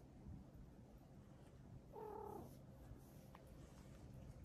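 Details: Stray cat on a cat island park in spring, mating season underway, eating dinner alongside kittens and a boss cat; a single short, clear meow lasting about half a second over a low, steady background hum.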